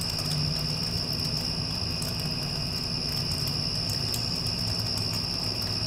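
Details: Post-storm crickets producing a constant high, ringing trill, accompanied by the low, steady hum of an air conditioner and a few faint clicks.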